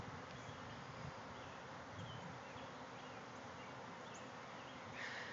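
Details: Thousands of honey bees swarming out of a backyard hive and flying all around the yard: a dense, steady broadband hum fills the clip, with faint high bird chirps scattered above and a brighter rise near the end.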